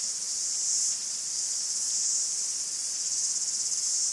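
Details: Cicadas in a Greek forest: a dense, continuous high buzzing chorus that swells and eases slightly over four seconds, with no other sounds heard.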